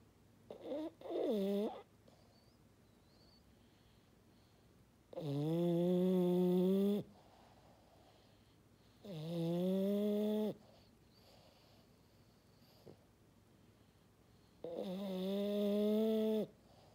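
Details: Maddi, a French Bulldog, snoring in a quiet room: a short stuttering snort, then three long droning foghorn snores spaced about four to five seconds apart, each steady and harmonic for roughly two seconds.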